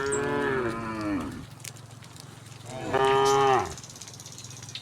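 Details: Tame cattle on their way from the neighbouring village to the pen. Two sustained, deep moos, the first falling away slowly and the second louder. There is a quiet pause between them.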